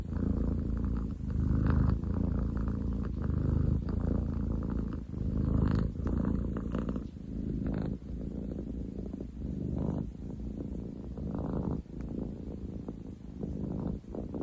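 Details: Male long-legged munchkin cat named Ten chan purring, 30 July 2023: a heavy, throbbing low drone steady across the whole stretch, rising and dipping slightly with each breath, loud enough to be compared to construction noise.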